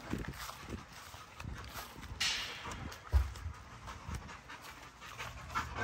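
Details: Great Dane panting in a fenced yard among several pet dogs, soft breathy bursts repeating unevenly about once a second, with a few sharper knocks and faint background rumble.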